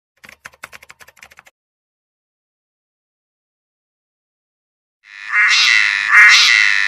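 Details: A cicada in summer in Mon, Nagaland, opens with dry clicks, then breaks into a loud, harsh, sustained buzz.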